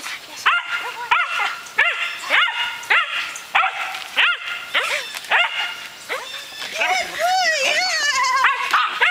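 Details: Berger des Pyrenees dogs, a six-month-old brindle female and her fawn father, playing with a frisbee; sharp high yipping barks repeated about every half second, then a run of whiny, wavering yelps near the end, with people talking.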